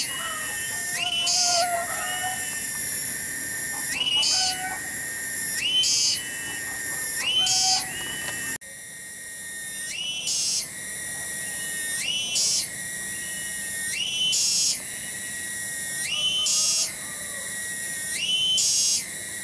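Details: A cicada singing in a village garden at Kampung Bunder, Desa Cibening, Kecamatan Bungursari. The song is loud, shrill and continuous. It swells into higher, piercing bursts roughly every two seconds, with a brief break partway through. No other notable sounds.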